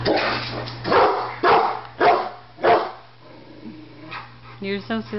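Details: Pet Rottweiler barking at a barbecue grill it seems to think will attack it, with a Doberman watching nearby; several harsh, loud barks in quick succession, a quieter pause, then short high tonal sounds, over a steady low hum.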